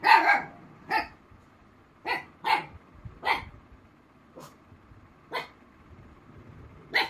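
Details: Female Black Mouth Cur named Rossy barks back at imitated puppy sounds: eight sharp, loud barks at uneven intervals across seven seconds, some in quick pairs, over a quiet background.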